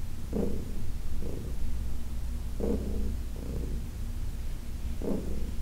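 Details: Heidi, a senior adopted cat, during an August 4, 2021 massage: a quiet low purr underlies the clip, interrupted by several short rubbing sounds from the hands.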